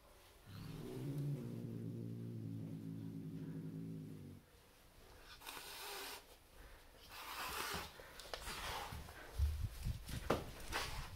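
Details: Turkish Van cat meeting a new roommate, growling: a low, steady rumbling growl lasting about four seconds, followed by rustling, soft thumps and handling noises indoors in a small room.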